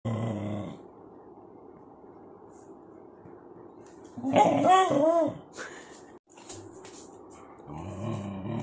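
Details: A pet dog that won't settle down to sleep, filmed 19–20 June 2024, gives low, rough, droning growls at the start and end. A brief higher whine-like sound comes midway, with quiet stretches in between.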